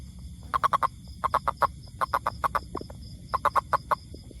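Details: Toad calling in short bursts of four to six rapid, evenly spaced clicking pulses, each burst about half a second long, separated by brief pauses, over a low steady background hum.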